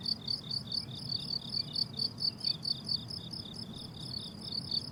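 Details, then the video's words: Crickets chirping on a blooming summer meadow: high, bright pulsed chirps repeating about twice a second in a steady rhythm, with soft low rumbling noise beneath. "Relaxing Cricket Sounds on a Summer Meadow"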